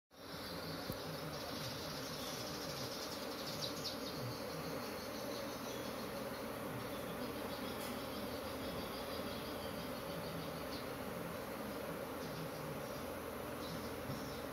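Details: Agitated honey bee colony kept by a beekeeper, the bees noisy and restless: a dense, steady droning hum with layered low tones, unbroken for the whole stretch, with faint high squeaks above.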